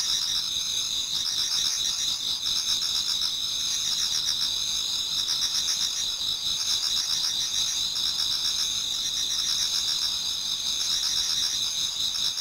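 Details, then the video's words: Many insects chorus in a Japanese garden as autumn night turns to dawn, giving a steady high-pitched drone with overlapping fast trills and faint lower pulsed notes, uniform in volume. "Autumn Insects voice Towards dawn"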